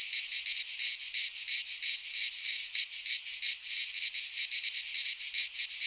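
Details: Chorus of cicadas in a pine forest in Greece during midsummer, a harsh sizzling drone pulsing several times a second with steady loudness throughout, nothing else audible.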